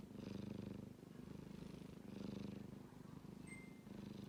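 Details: Sleeping kitten snoring softly: rough, rhythmic breaths swelling and fading about every two seconds, with a low purring rumble underneath and a brief faint high tone near the end.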